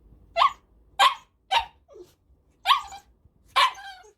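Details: Male Cavalier King Charles Spaniel born May 2019, a 7.6 kg pet, barking: five sharp, bright barks spaced about half a second to a second apart, with a faint soft yelp between them.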